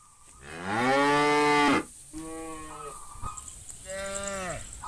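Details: Cows, part of a herd of hundreds being driven by a shepherd toward green fields: one loud, drawn-out moo with a falling tail lasting about a second, followed by two quieter, shorter moos from other animals.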